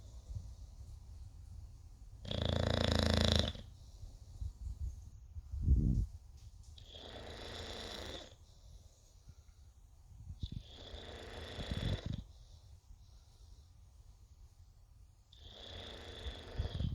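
An English bulldog snores in long, rasping, breathy rumbles that recur every few seconds.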